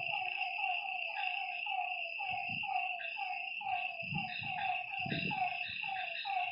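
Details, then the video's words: Lakeside frog chorus after dark, many overlapping falling croaks in quick succession against a continuous high-pitched insect hum, with some low rumbling bursts in the background. "Lakeside night creatures and frog sounds"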